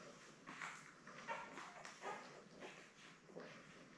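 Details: Newborn Labrador Retriever puppies, one of a litter of seven born May 24, 2021, with their mother Belle, on a June 3 indoor puppy cam; soft nasal whimpers and grunts about every second, with faint rustling.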